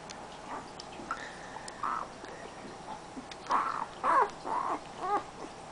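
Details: Siberian husky puppy, AKC registered, from a 2010 litter, making a few short harmonic whining or yelping calls. About five bursts come in the second half, over a low steady background hiss.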